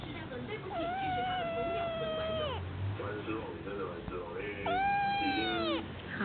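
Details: Domestic cat meowing twice, each call long and wavering with a falling end, the second shorter and louder, with a low room hum and faint voices between the calls.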